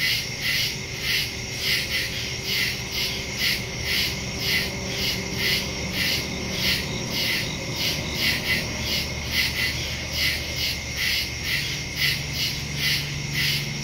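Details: Crickets in woods at night, recorded September 2, 2023 on a Samsung Galaxy S22 Ultra phone with a Shure MV88+ stereo microphone: dense high pulsing chorus, about two pulses per second, over a steady low hum.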